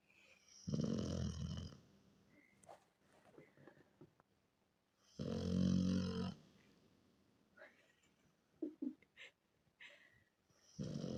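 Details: Miranochka, a Rottweiler, snores while asleep: two loud, rattling inhaled snores about four seconds apart, each a little over a second long, with quiet wheezy exhales, faint clicks and small movement noises between.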